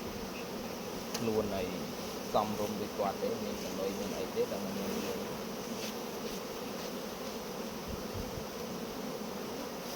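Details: Honey bees swarm around a hive while honey is harvested, giving a continuous low buzzing drone. Faint voices and light knocks sound in the background.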